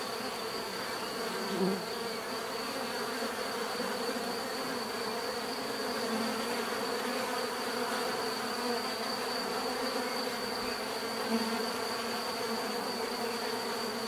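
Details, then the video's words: [['Natural bee buzzing forming a constant layered drone, with brief louder swells as individual bees pass close near the start and toward the end.']] "bees therapy relaxing natural buzzing sound"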